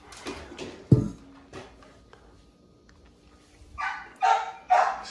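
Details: XL American Bully named Rock, at a kennel on his birthday around treat time, gives three loud, harmonic barks in quick succession near the end after a thump and quieter shuffling noises, with faint background hum.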